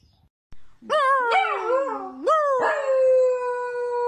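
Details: Sausage dog (Dachshund) howling: a clear, tonal, wavering howl that dips, then jumps upward and settles into a long, steady held note, with no other sounds around it.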